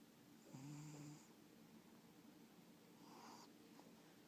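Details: A pet cat snoring indoors in a small room: a low, buzzy breath around half a second to one second in, followed by a softer wheezing exhale near three seconds, over steady faint background hiss.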